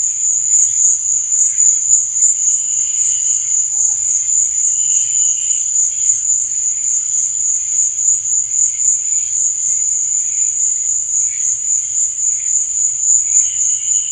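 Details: A long stretch of cricket chirping at night: one shrill, high, rapidly pulsing trill held without a break, with dimmer lower buzzing that comes and goes.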